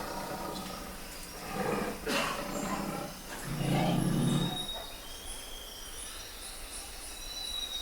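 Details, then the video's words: Bengal tiger giving low, rough, roar-like bursts, a short one near two seconds and a longer swelling one around four seconds, set against steady forest ambience with thin whistled bird calls running throughout. "Tigre de Bengala - Som do Tigre"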